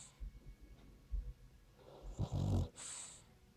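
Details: French Bulldog snoring while asleep indoors: quiet low breathing at first, then one loud, harsh, rasping snore in a single burst, followed by a softer hissing breath.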